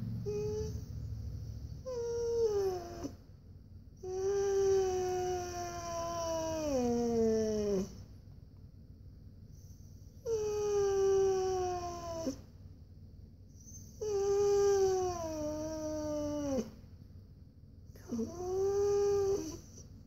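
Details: Siberian Husky named Koa whining indoors because he wants to go for a walk: long drawn tonal whines, each sliding slowly downward, separated by short pauses, with faint background hum.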